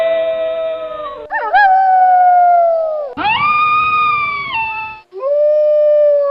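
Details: Wolf giving a series of long howls, each opening with a quick upward sweep and then holding a smooth tone that sags gently before a short pause.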